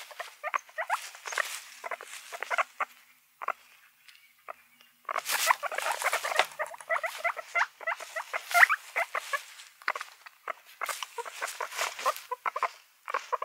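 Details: Mixed guinea pigs squeak and chutter in clustered bouts of quick, bright notes separated by short silent pauses, with some louder squeals standing out.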